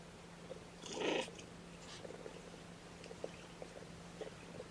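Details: One of Mama Seraphina's four young kittens objects to being pottied before its weigh-in. A single short, throaty mew rises near the one-second mark, then only soft indoor rustles and faint ticks follow.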